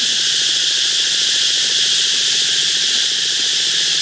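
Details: Cicadas at a canal in the Mekong Delta: a dense, shrill, unbroken hiss-like drone that holds steady throughout, with faint low rhythmic pulsing underneath.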